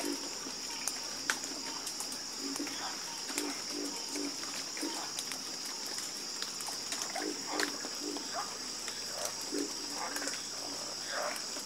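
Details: Croaking frogs in a chorus, scattered deep croaks and sharp clicks spaced through the clip, set against an unbroken high insect whine.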